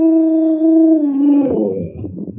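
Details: Luoluo, a pet Alaskan Malamute raised by grandma, howling indoors during face-wiping. A steady mid-pitched howl holds for about a second and a half, then wavers and breaks into lower, rougher moans.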